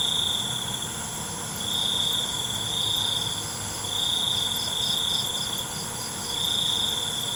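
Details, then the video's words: Crickets calling after dark, their shrill trill swelling in repeated stretches of one to two seconds separated by short gaps, joined by faint rapid pulsed chirps and a continuous high whine of other insects. "ALUNAN CENGKERIK MALAM"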